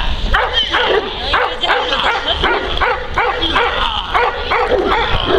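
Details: Neapolitan Mastiff named Kuba, a working dog, barking while protecting his owner from multiple agitators: loud, deep barks in a rapid run of nearly three per second, with human voices faintly beneath.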